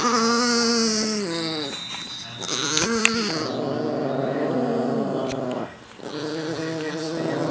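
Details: Chihuahuas, described as possessed, give long, steady, strained whining growls with stacked harmonics, rising and falling in pitch and broken by short pauses, while people talk over them indoors.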